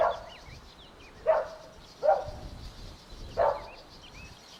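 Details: Golden Retriever puppies at play outdoors in a meadow give short, hoarse barks about every second, while thin chirps from small birds twitter faintly above them.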